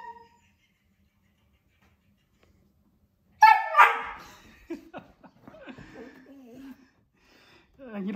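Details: Pet husky reacting to and talking to himself on the TV: after quiet, a sudden loud yowling cry breaks out, followed by softer wavering whines and grumbles mixed with a man speaking.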